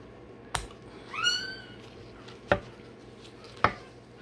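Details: Day-old Rottweiler puppy during tail and dewclaw removal, letting out a single short rising-then-falling squeal, with sharp clicks and knocks around it indoors.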